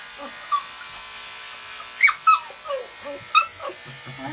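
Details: Yorkshire Terrier being groomed in a pet beauty salon gives short, high, sharp yelps, several clustered near the middle and one later, over the steady hum of a shaver, with a woman talking in Russian.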